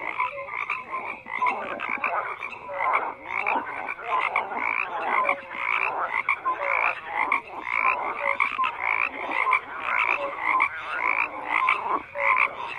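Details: Frogs croaking in a thick, continuous chorus, rapid rattling croaks repeating nearly twice a second, overlaid with scattered short whistled notes and no other sounds.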